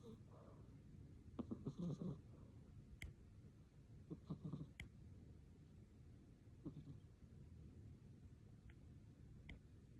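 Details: A domestic cat snoring while asleep: soft, low, rumbling breaths that swell in short bursts roughly every two to three seconds, with a few faint clicks between them in a quiet room.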